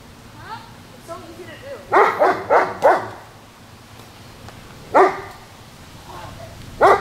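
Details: German Shepherd dog giving quick bursts of sharp barks: a rapid run of three or four, then single barks several seconds apart. Faint yips and soft speech fill the gaps.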